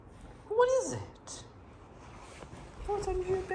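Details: A pet Boxer named Jayda lets out a short, arched, whining cry as she confronts her pink toy pig under her bed, followed by a woman's voice asking what is under there.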